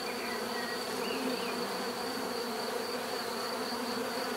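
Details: Bees humming together in a thick, even buzz; stacked low tones under a steady high whine, with faint whistled bird notes barely surfacing early on.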